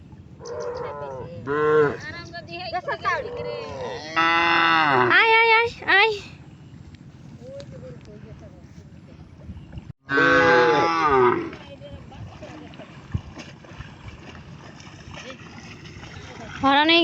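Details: Cattle that crossed a river to reach grass, mooing in drawn-out harmonic calls, a few seconds apart, while a person repeatedly calls them over and talks nearby.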